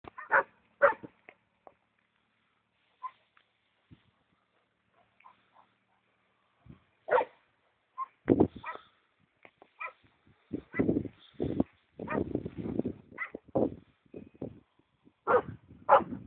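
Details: An angry Rottweiler barks at a white cow in short, sharp bursts that come in quick runs after scattered single barks.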